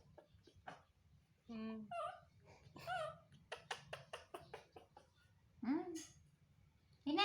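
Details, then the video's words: Baby monkey Toro, kept as a pet indoors, calling so his mother will comfort and hug him: high whimpering squeals with rising and falling pitch, mixed with short clicky bursts, while people talk nearby. "Baby Monkey TORO Makes Sweet Sounds To Get His Mother To Comfort And Hug Him"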